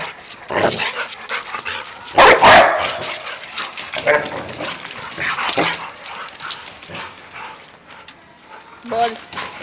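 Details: Two Labrador Retrievers playing ball give loud, sharp barks amid a person's repeated calls to fetch the ball.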